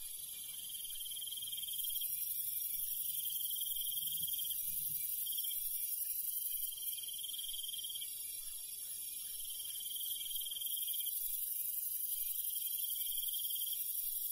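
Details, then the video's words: Crickets and other night insects in the countryside at night: a dense, steady high-pitched chorus layered with trilled chirping bursts lasting one to two seconds, repeating with short gaps, plus a constant hiss and faint low rumble. "시골 밤벌레 소리, 귀뚜라미 소리"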